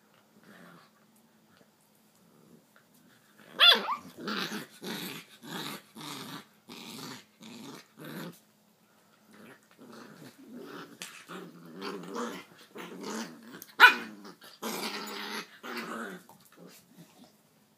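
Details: Miniature Pinscher fighting a pit bull: harsh, broadband snarling and growling bursts in rapid series with short gaps, sharper loud peaks near the fourth and fourteenth seconds, indoors.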